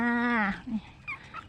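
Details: Dog giving a drawn-out tonal howl of about half a second, held steady and then sliding downward at the end, followed by a short, lower yelping note and faint voices.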